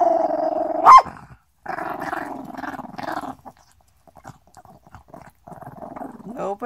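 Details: Small Chihuahua named Chippie growls, snaps and breathes all at once: a steady rough growl, a sharp snap just before one second, another long growl burst, then quieter panting breaths and soft rustles before the growl resumes.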